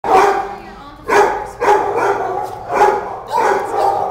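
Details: Dog at an animal shelter giving loud, harsh barks in bursts about every half to one second, with a reverberant room echo and some human voice in the background.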